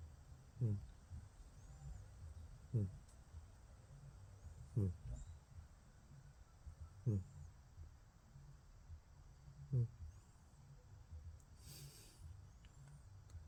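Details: ['Sleeping house cat named Pusky, one of the Whiskas family of cats, snoring and purring: a low steady rumble with soft snore pulses about every two seconds, five in a row.']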